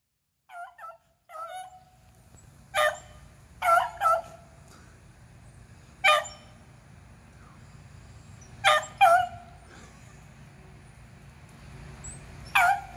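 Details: Beagles Athena, Zeus and River, two aged eleven and one aged three, hunting squirrels on April 21, 2020: sharp harmonic barks arrive singly and in pairs at irregular intervals, with a low rumbling background.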